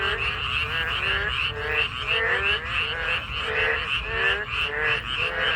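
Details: Chorus of narrow-mouthed toads and frogs heard while walking, with pulsing nasal croaks about one and a half per second over continuous buzzy trilling from many callers.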